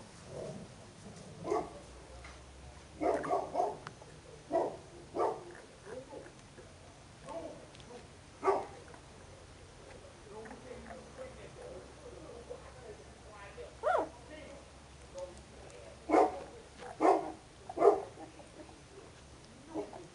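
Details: Puppies in their second week at a kennel, giving a series of short whimpering and squeaking cries at irregular intervals, some louder than others, with a low steady hum underneath.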